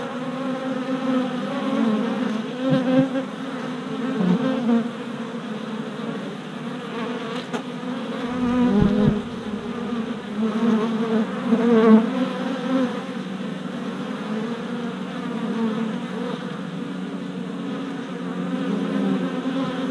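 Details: Crowd of worker honey bees flying orientation flights at a new deep hive body four days after package installation, 27 April 2017: continuous low droning buzz, rising and falling as bees pass, with a few faint knocks.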